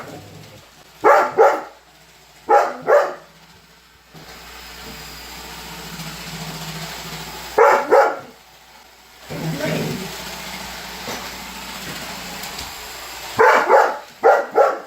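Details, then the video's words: Holder, a Weimaraner, barks in short bursts of two or three at a Roomba robot vacuum, with stretches of whirring machine noise between the outbursts. "Roomba robot vacuum vs Holder - Holder The Weimaraner"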